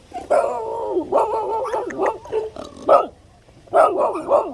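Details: A mother dog on a country road guards her puppies, barking at a delivery van. Loud, harsh, repeated barks and growly yaps come in bursts about a second apart.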